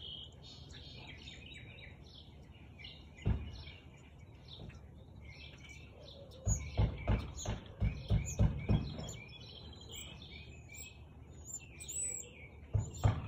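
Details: On 13 March 2021 at 4:17 pm, a Siberian Husky gives one isolated bark, then a burst of rapid, punchy barks in the middle. Steady bird twittering runs throughout.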